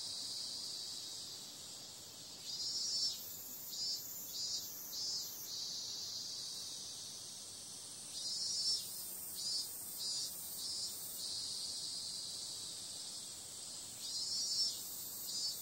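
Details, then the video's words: Cicadas on a summer night: a steady, high, hissing insect drone carries throughout, with brighter pulsing bursts swelling in clusters of three or four beats around the third, ninth and fifteenth seconds. "Cicada sound"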